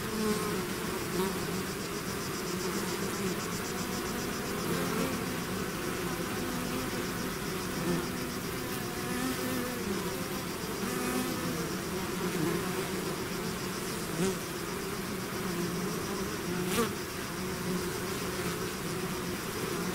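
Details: Continuous droning of a honey bee swarm leaving its hive, layered buzzing tones shifting gently in pitch for twenty seconds, with a few faint clicks and a thin high whine above the mass of wings.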